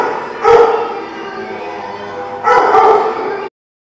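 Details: Dog recorded 2/5/18 giving two harsh, loud barks two seconds apart, the second longer and trailing off before sudden silence.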